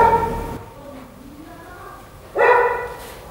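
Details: Giant Schnauzer kept as a pet: two short, loud, harmonic barks or yelps, one at the start and one after a quiet gap of about two seconds, with a low background hum between them.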